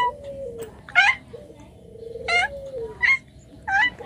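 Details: Pet cat giving four short harmonic meows about half a second to a second apart, each bright and slightly rising, over a continuous low humming tone in a small indoor room.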